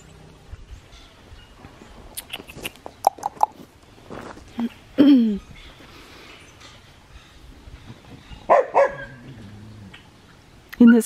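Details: Australian Shepherd puppies in outdoor yards at an Oklahoma breeding farm. Scattered short yips and high barks, with louder bursts near five, eight and a half and eleven seconds, over quiet background rustling.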